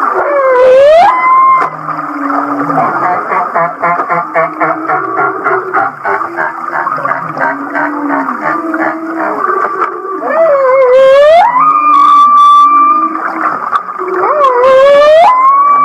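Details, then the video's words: Humpback whale of Kihei, Maui, voicing a song likened to laughter: rapid rhythmic pulsed chuckles, about four a second, run for several seconds, then three rising swooping whoops level into long whistles. "The Laughing Whale"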